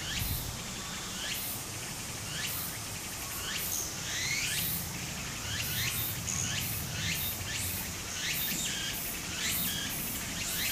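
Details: Cicadas singing in summer by a stream in Japan: many high, sweeping chirps repeating rapidly and overlapping in a dense chorus, with gentle running water underneath.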